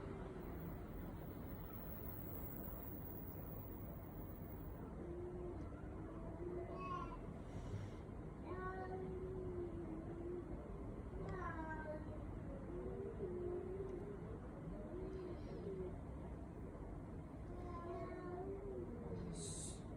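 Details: Domestic cat whose cries resemble a human baby's voice, uttering a series of short, bending meows every couple of seconds over steady low traffic-like rumble.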